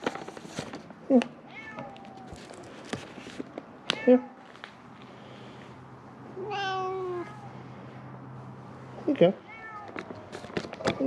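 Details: Three feral cats at a closed-down building of Mare Island Naval Shipyard, Vallejo, California, cry hoping for food. Scattered short meows, then one long, clear, wavering meow midway and another near the end, with a man's coaxing voice and background music.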